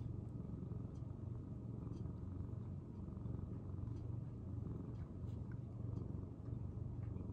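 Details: Senior rescued male house cat in Japan purring indoors, January 2023; deep, even, rhythmic rumbling that pulses gently over several seconds, with light handling noises on top.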